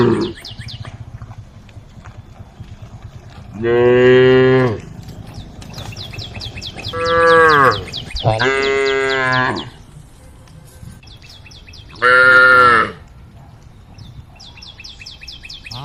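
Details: Cows in a herd roaming along a road, calling to the herd: four long, deep, harmonic moos, each about a second long, at irregular gaps, over rapid high chirping in the background.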